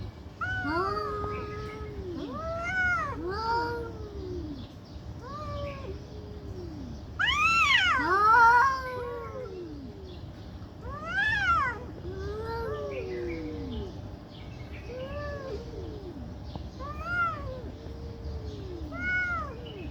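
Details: Domestic cats fighting angrily and loudly for a long time: steady run of arched, wailing yowls from two voices, swelling into a harsh screeching burst partway through, then settling back to moaning calls.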